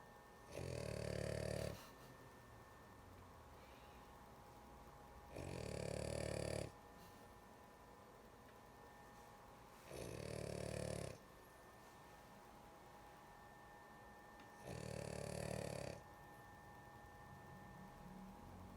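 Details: A sleepy female dog snoring: four rough, rattling inhalations, each lasting over a second, recurring about every four to five seconds with quiet breathing in between, indoors.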